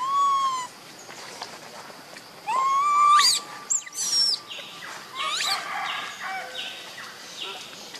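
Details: Lovely baby monkey Leo, missing his mother and begging for milk, whines in high whistled cries, some rising sharply, one long held note, with overtones, followed by scratchy rustling sounds.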